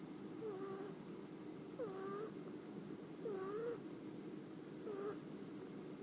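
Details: Pet cat asleep in a lap, snoring quietly and recorded on a phone: soft breathy snores with a faint tonal whistle repeat about every second and a half, four times.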